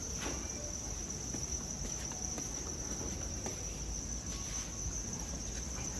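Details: Farmed crickets in Hanoi, Vietnam, giving a continuous shrill trill that holds a constant pitch throughout, with faint higher lines above it and light patter and tapping noises underneath.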